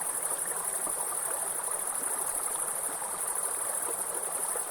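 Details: Grasshoppers in a forest beside a waterfall: a steady, shrill, very high-pitched continuous buzz with no breaks, over a broad rushing wash of falling water.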